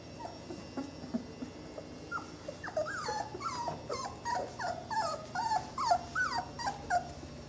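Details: Twenty-day-old Saluki puppies of a kennel litter whimper and squeak in a busy chorus, short thin rising and falling cries overlapping rapidly, growing louder and denser after the first few seconds.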